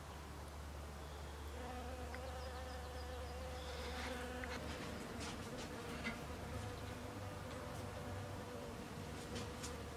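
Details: Western honey bee visiting snowdrop flowers (Galanthus nivalis), giving a faint, steady droning hum with layered tones, joined by scattered faint ticks and brief higher chirps in the background.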